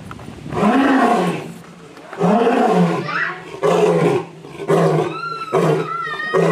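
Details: Lion at Memphis Zoo roaring: long, deep, resonant bellows of about a second each, repeated five times with short pauses, and faint thin whistled tones drifting over the last few roars.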